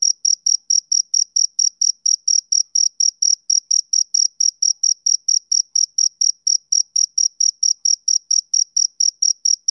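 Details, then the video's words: Steady, rhythmic male cricket chirps, high and tonal, repeated a little more than three times per second in a quiet setting. "Cricket Chirping Sound Effect"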